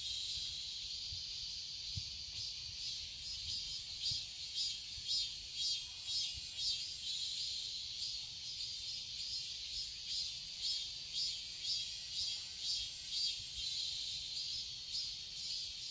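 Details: Cicadas calling in a Korean summer garden in Seoul: a sustained, piercing electric-sounding buzz that pulses steadily about twice per second throughout, with a few faint low thumps early on.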